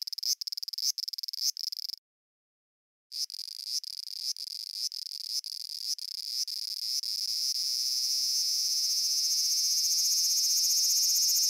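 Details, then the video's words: Japanese cicada with a stuttering series of sharp buzzy pulses, a one-second pause, more pulses, then a long steady high drone. "Cicada Sounds and Cicada Songs"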